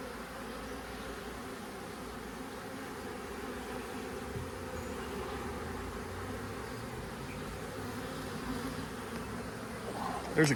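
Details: Western honey bees buzz in a dense, steady hum: a very active swarm of about five frames of bees, with its queen, that moved into a baited box in a deer stand in 2025.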